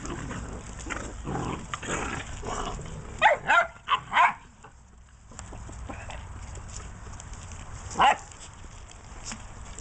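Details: Tosa Inu puppies from a 2017 litter at a Czech kennel give a quick run of four short, high, whiny yelps, then one lone yelp a few seconds later, over low background rumble and nearby human voices.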